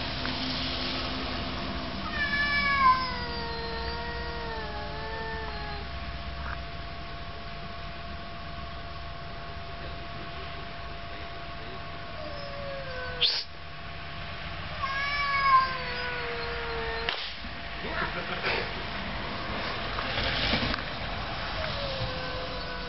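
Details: Quarrelling domestic cats give sparse, quieter drawn-out wavering yowls and descending moans separated by pauses, with a steady low hum and a few sharp knocks in the background.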